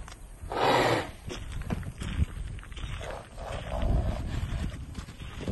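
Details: Arabian horse mare with a stallion-like temperament, giving a loud harsh whinny near the start, followed by snorts, hoof sounds and low rumbling background noise.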